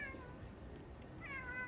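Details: A cat said to be always alone at this spot meows twice, opening with a falling mew and ending with a rising, bright meow, over quiet background noise.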